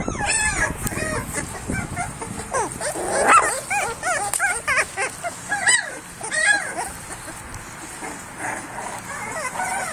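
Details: Several three-week-old pit bull puppies cry, bark and growl, with high, wavering squeals, squeaky yips and little whimpers overlapping, while a man talks playfully nearby.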